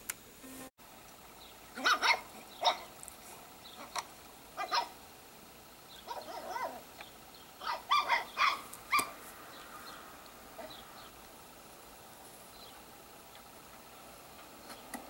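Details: Sparkle, a pet dog, reacting while watching her own videos indoors: a scattered run of short, sharp yips and barks clustered in two bursts, then quiet room tone for the final seconds.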